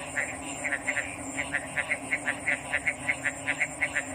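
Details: Frog calls repeated quickly, almost three short notes a second in a fairly steady pulse, over a continuous high-pitched whine and a quiet low hum.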